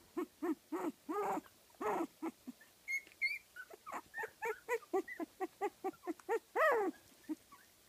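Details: Fifteen-day-old Kooikerhondje pups from a kennel litter in Sweden give steady short squeaky whimpers, several per second, some bending into higher rising whines toward the end.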